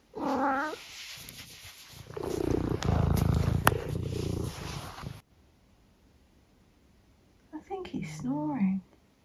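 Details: Opinionated 14-year-old tabby cat named Eric, indoors in the UK, lets out a brief meow, then a long rough rumbling purr-like stretch, followed by a short voiced burst and a person talking nearby.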